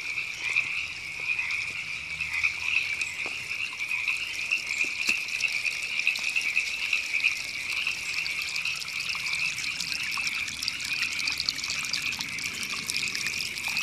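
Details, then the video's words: Massed river frogs in Los Angeles's Temescal Canyon Park, California, April 2017, keep up a steady high rattling trill, accompanied by splashing, gushing stream water and scattered clicks. "Frogs Ribbits"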